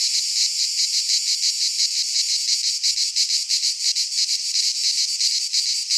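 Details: Cicadas of Greek pine woods singing in midsummer: high, sizzling buzz with quick rhythmic pulses layered in a thick chorus, constant in loudness throughout.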